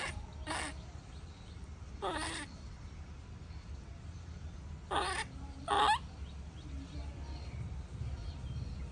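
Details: Baby monkey throwing a tantrum as its mother leaves: four short, harsh screeching bursts with a rough, broad tone, at about half a second, two, five and six seconds, over a steady low rumbling background.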